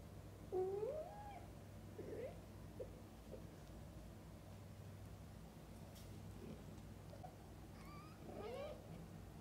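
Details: Mother cats with their young kittens, from birth until the kittens' eyes open. Low bending meows are spaced through the recording, and a higher quavering mew comes near the end. A steady low hum runs underneath.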